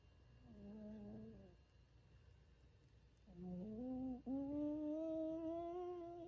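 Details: Bichon Frisé Ttangkong-i snoring loudly while asleep: a short nasal whistled breath, a pause, then a longer, louder whistling tone that climbs a step and holds steady to the end, in a quiet indoor room.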